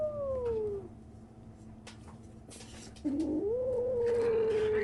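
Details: Kitten 37 days old making strange noises: a long falling tonal meow, then after a quiet gap a second drawn-out mew that rises and holds steady, over a low indoor hum with faint clicks.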